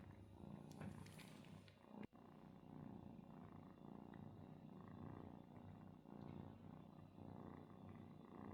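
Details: A kitten confuses its dad cat with its mom and looks to him for milk. Continuous deep purring rumbles throughout, interrupted by a brief rustle and a soft knock early on.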